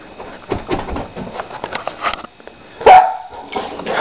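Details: A 4-month-old Lab/Pit mix puppy playing indoors lets out a single sharp, high bark after quiet rustling and soft thumps, followed by faint scuffling and a person's voice.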